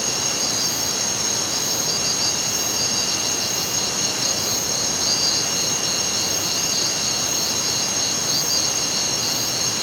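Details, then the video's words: Crickets at night: unbroken high-pitched trilling from many insects, a faint throbbing pulse in the chorus, all over loud continuous rushing background noise. "Night Crickets sound effect"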